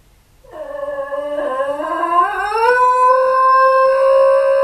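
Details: Basenji dogs, a pair left alone at home, howling as they miss their absent owner, caught on hidden camera indoors; one rising, wavering howl builds after half a second and settles into a steady, sustained tone.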